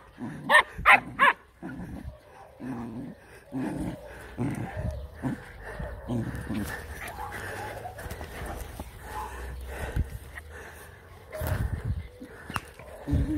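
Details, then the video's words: A Jack Russell terrier at play with puppies gives three quick loud barks, then a run of short, throaty play growls with brief pauses, and a louder growling flurry near the end. "JACK RUSSELL TERRIER TEACHING THE PUPPIES HOW TO HAVE FUN"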